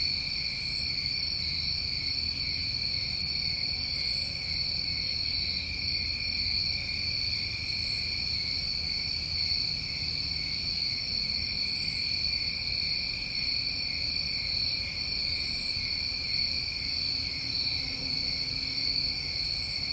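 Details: New England summertime crickets in a steady, unbroken chorus of high trilling at two pitch levels, with a brief, sharper high buzz recurring roughly every three and a half seconds above it.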